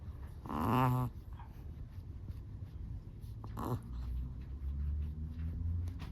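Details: Sleeping Chihuahua snoring: one loud, wheezy, squeaky snore of about half a second, then a softer, shorter one near the end, over a low steady rumble of breathing.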